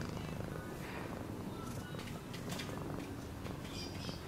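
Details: Cat purring as a low, even rumble under scattered light clicks, brief tonal blips and soft rustling noise.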